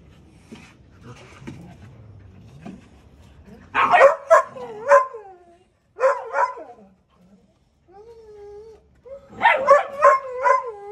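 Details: Deutsch Drahthaar puppy named Gustl, in its third week of bench training: bursts of short, sharp barks in clusters, with high tonal whines slurring between them and brief quiet gaps.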